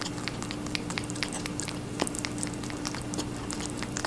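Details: A rabbit munching on watermelon, dense moist crunching and clicking chews packed closely together, a constant low hum underneath.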